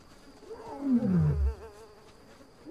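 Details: African lion giving a bellowing territorial roar: one deep descending groan sliding downward over about a second, with faint background hum.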